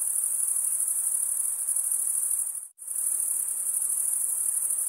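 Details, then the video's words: High, shimmering cricket chirping made by males scraping wing against toothed wing vein; the steady trill cuts out briefly for a split second midway, then resumes at the same shrill pitch. "Most relaxing cricket sound for 8 hours"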